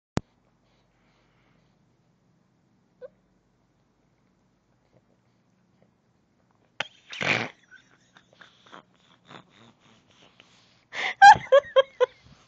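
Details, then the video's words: A pug dreaming in its sleep: long near-silence, then a breathy puff, faint soft sounds, and a quick run of short, high, tonal whimpers and yips toward the end. "Dreaming Pug"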